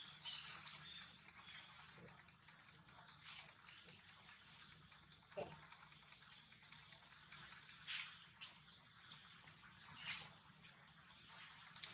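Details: Scattered dripping and splashing clicks of running water echo in a small room, with no animal calls.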